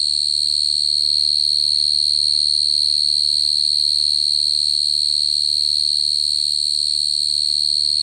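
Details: Steady high cricket trill, sustained and monotonous with no breaks, a thin ringing tone holding the same pitch, soft hum in the background.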